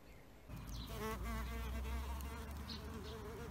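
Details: Bees at an insect hotel, a low droning buzz swelling in after half a second, wavering in pitch with rich overtones and staying steady to the end.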